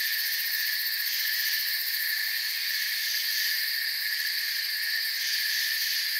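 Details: A continuous shrill buzz of crickets fills the forest, several layered pitches droning together without breaks, with no birds, wind or voices.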